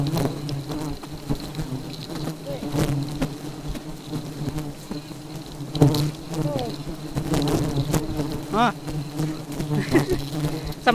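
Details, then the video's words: Honey bees described as very aggressive keep up a steady low buzz with faint higher whines, overlaid by scattered clicks and a few rustling knocks. "Lebah Madu Sangat Agresif"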